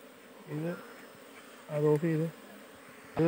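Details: Honey bees kept on a Kerala farm, buzzing close by: three short, flat, steady buzzes of under half a second each, separated by near silence, with faint room noise between them.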